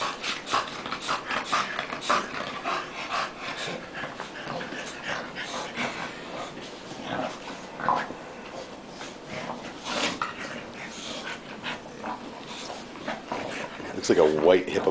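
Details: Dogs Tank and Bofa grapple playfully, with fast snorting breaths and scuffles repeating several times a second, closing with a short voiced whine-growl.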